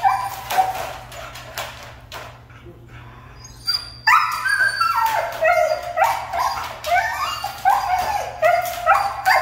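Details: Siberian Husky, said to be hard to train, producing bursts of yelping, whiny talking sounds, a brief lull, then a rapid run of rising and falling vocal cries over a steady low hum.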